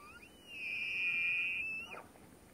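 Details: Rutting tule elk at Point Reyes National Seashore: a single sustained, piercing whistle rising quickly, held steady about a second and a half, then ending in a short downward break.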